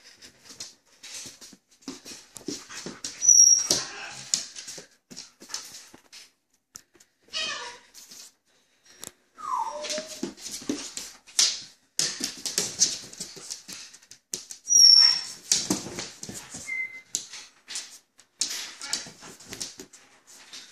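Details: Australian Shepherd dog playing and romping, recorded 25 October 2016; a run of short whimpering and yipping bursts with thin squeaky tones, soft thuds and a person speaking now and then.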